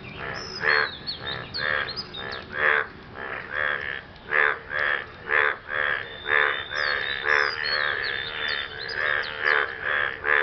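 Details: Frogs croaking after rain to court a partner: a dense chorus of about twenty rasping, nasal croaks, one or two each second. Thin high chirps flicker in the background.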